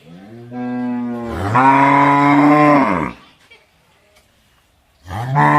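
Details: Long cow moo that starts low and steady, then swells louder and brighter before cutting off around three seconds; after a short silence a second moo begins loudly at the end.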